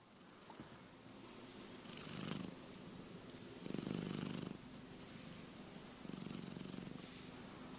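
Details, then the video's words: Keke, a sleeping cat dreaming, snores in low rumbling breaths, each louder inhale-like swell arriving about every two seconds over a steady purring drone, with soft airy hiss above. "Snoring cat Keke dreaming"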